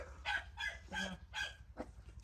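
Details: Border Collie dogs at a kennel, barking in a rapid series of five harsh, broad barks within about two seconds, each short and loud, over a low steady background hum.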